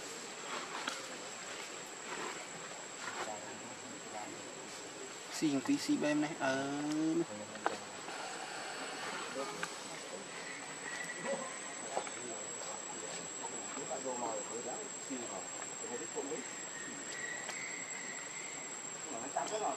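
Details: A hungry baby monkey named Lucie wails for milk: one loud, quavering cry lasting about two seconds near the start, followed by fainter whimpers over a constant high-pitched hiss.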